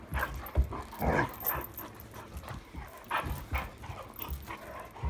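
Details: Irish Setter at night, 26 July 2022, playing with a new toy: short rough grunting and whimpering bursts at irregular intervals, strongest around the first and third seconds, with scuffling and handling noise between them.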